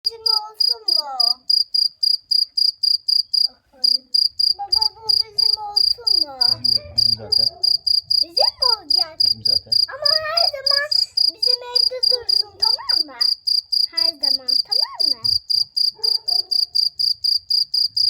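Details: Cricket calling loudly, a high, sharp chirp repeated about four times a second in steady pulses throughout, with children and adults talking over it for much of the time.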